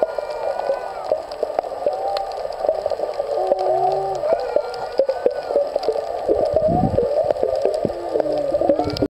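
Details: Underwater whale sounds recorded at old Airport Beach near Kaanapali: layered wavering moans and squeals, some sliding upward, with short low grunts, set against dense snapping and crackling reef noise throughout.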